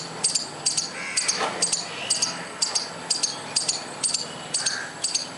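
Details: A squirrel calling: high, piercing chip notes, often in close pairs, repeated roughly every half second, with faint background chirps from other birds.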